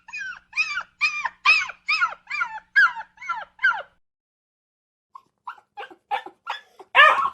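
A dog whines and cries in a quick series of high, wavering yelps with a short pause.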